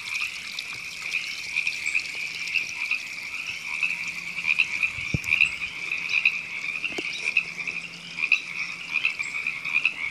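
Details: River frogs in Temescal Canyon Park, Los Angeles, California, April 2017, produce a loud, shimmering chorus of rapid high croaks with brief louder bursts, two sharp knocks midway and a low hum in the background.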